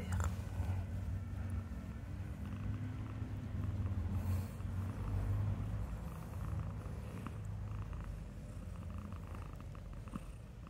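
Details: A cat wanting cuddles in a garden purrs in a steady, low, continuous rumble with a soft pulsing rhythm throughout, with faint background hiss and light rustling.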